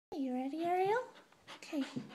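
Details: Red Standard Poodle puppy, a 5.5-month-old female, indoors at night while working a dog puzzle; a smooth, drawn-out whine rising at its end, then a shorter whine, with a person telling her to get down.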